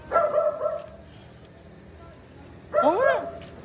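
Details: One of two Belgian Malinois, Luna and Dax, excitable after release from its cage, gives two bursts of high whining yelps, the second bending up and down in pitch, with a quiet gap between and people talking nearby.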